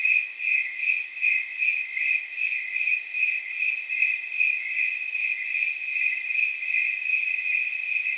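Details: High, bell-like chirps of snowy tree crickets repeat at a steady rhythm, just over one per second, through a night near 79 degrees, over a constant shrill ringing background.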